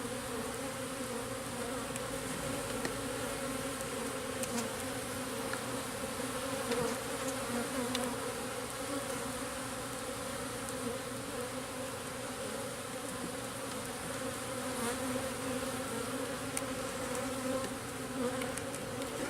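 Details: Long, unbroken drone from a crowd of local bees in a newly installed garden-style backyard hive on its first days, steady in pitch and loudness, with faint scattered ticks.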